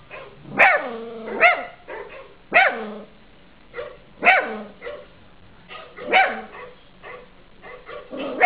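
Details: A 3-month-old Cavalier King Charles Spaniel puppy gives sharp, high yapping barks in short bursts, barking along with dogs in a Christmas advert playing music behind.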